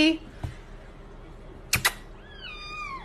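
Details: House cat uttering one drawn-out meow that slides steadily downward near the end, after a couple of sharp knocks; quiet indoor room noise throughout.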